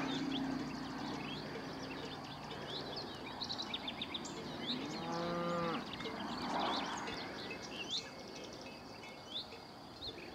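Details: Cattle in a high mountain pass, one harmonic moo of about a second, low and slightly rising then falling, amid steady environmental noise and many chirping birds throughout.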